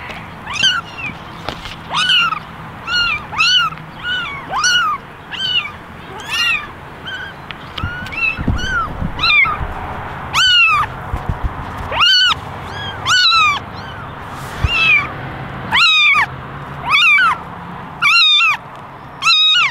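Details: Kittens crowded in a basket, ten ginger and one white, meow for attention with a steady stream of bright arched cries, roughly one per second, several overlapping, growing louder and clearer in the second half.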